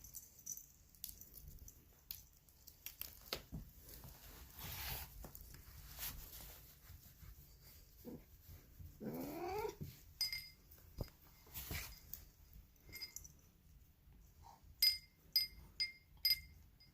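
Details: Poly, a female polydactyl cat with a voice compared to Marge Simpson, gives one short wavering, slurred cry midway, surrounded by sharp clinks and taps of glass or metal.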